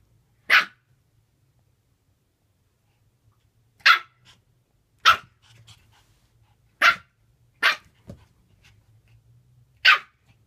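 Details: Japanese Spitz playing alone, giving six sharp high barks at uneven gaps over about ten seconds, with soft shuffling sounds in between.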